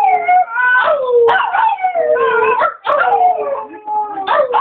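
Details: Chewy, a Chihuahua, howling hard when his owner prompts him, sounding as if in pain. Loud, continuous, wavering howls overlap and dip in pitch, with brief breaks.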